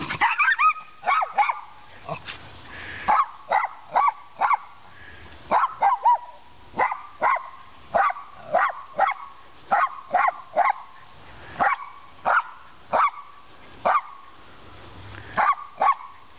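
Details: Play-date barking from a pair of 15-month-old female Siberian Huskies, Jovi and Mystique, rescued from a puppy mill, sharing the yard with a Jack Russell and an Italian Greyhound: sharp, harmonic barks and yips in quick bursts, some close together, over soft background noise.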